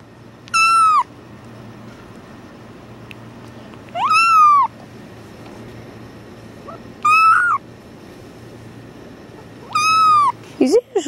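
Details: Tuxedo kitten yelling while being held: four loud, drawn-out meows, each rising then falling with rich harmonics, spaced about three seconds apart, with a short broken cry at the end over a low steady background hum.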